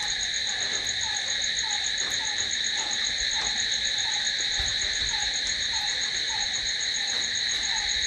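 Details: Crickets calling at night in a continuous, shrill, steady trill layered at several high pitches, with a lower, soft, falling chirp repeating about three times a second underneath.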